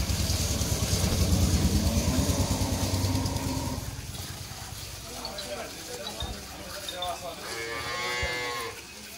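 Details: Friesian dairy cow that has just given birth to a heifer calf for her second time; a deep, loud, sustained moo lasting about four seconds, followed by a higher, wavering bellow, with voices and motor noise behind.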